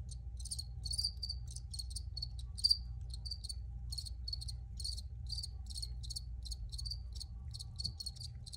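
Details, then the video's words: Crickets recorded outdoors chirping in short pulsed bursts, several per second, high and bright with overlapping callers, over a steady low rumble of background noise. "Free Cricket Sounds"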